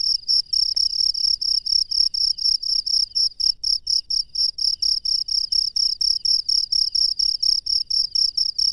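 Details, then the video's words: High metallic chirps from a wild cricket at night, short trilled bursts repeated evenly about twice a second for the whole stretch, against a quiet, still background. "SUARA JANGKRIK LANGSUNG DARI ALAM LIAR DI MALAM HARI"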